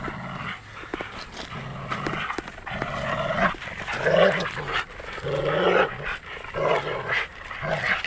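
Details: Two Labrador Retrievers in Vilnius, one a city dog trying to take a stick from his old friend; rough, low growls in repeated bursts of about a second, with occasional higher yelping notes and rustling.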